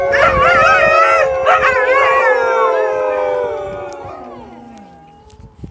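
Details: Several Alaskan Malamutes at Eagle Heights in Kent, England, join in a chorus of drawn-out, wavering howls. The voices overlap, then the pitch gradually sinks and the sound trails away.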